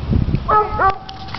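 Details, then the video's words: Mike the coonhound barking at a dog park while dominating other dogs; a short harmonic bark that bends upward, with low rumbling handling noise and voices before it. "Coonhound barking at dog park"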